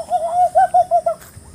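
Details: Monkeys searching for food in forest near a highland campsite in Indonesia; one gives a quick run of clear, wavering hoots, about five notes in just over a second.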